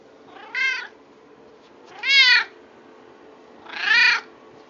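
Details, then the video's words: Domestic cat meowing indoors: three clear, harmonic meows spaced about 1.7 seconds apart, each rising then falling in pitch, with a faint steady hum in the background. "My cat making noise"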